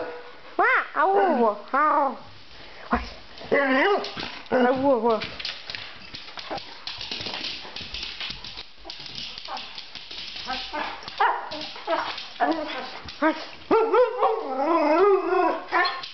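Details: Pet dog whining eagerly because it wants a walk, recorded around summertime; several wavering, rising-and-falling high whines in short bursts, mixed with a person talking to it about going out.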